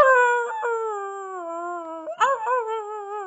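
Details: Maggie the Boxer howling indoors alongside a human howler: a sustained, slowly falling tone, then a brief break and a renewed wavering howl that rises and trembles.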